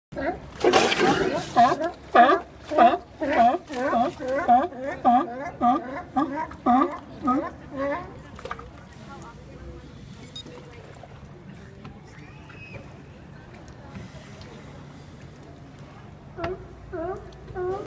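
A sea lion gives a rapid series of hoarse, honking barks, then falls quiet before a few more.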